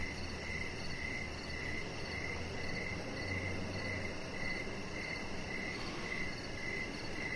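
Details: Evening chorus of crickets around a deck with decoration lights; bright, regularly pulsing chirps run throughout while a faint low hum rises briefly in the background.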